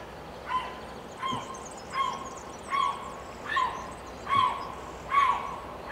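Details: A young female Eurasian lynx (Lynx lynx) kitten, born 23 May 2020 at Wildpark Ferleiten, gives short, yelping mews repeated steadily about once every second.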